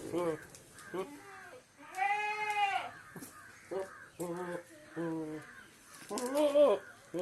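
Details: A goat gives loud, nasal bleats, with one long wavering cry in the middle between shorter voiced sounds.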